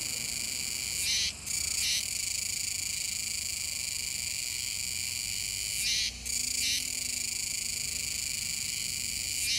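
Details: Chorus of Kuroiwa's cicadas at the Kōme River mouth, Nishinoomote, Tanegashima, 7 September 2022: an unbroken high metallic drone where louder pulsing bursts, each followed by a brief dip, come roughly every five seconds.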